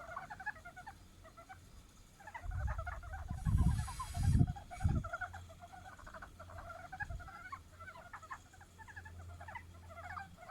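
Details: Japanese brown frog calling in spring after the snow has melted into a stream, courting. Rapid clusters of short, dry, knocking pulses recur throughout, over a steady low rumble, with several heavy thumps near the middle.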